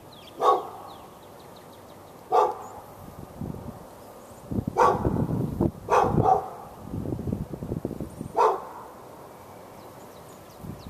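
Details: Pet dog in Raleigh, North Carolina, behind a fence, barking at the dog next door on February 15, 2012, during a bout lasting from morning into afternoon; loud single barks every second or two, with low rumbling background noise between them.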